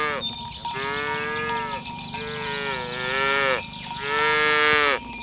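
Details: Tame village cows being herded to the pen in the morning along village roads: three sustained, slightly arching moos about a second and a half each, evenly spaced, beneath continuous clanking and ringing cowbells.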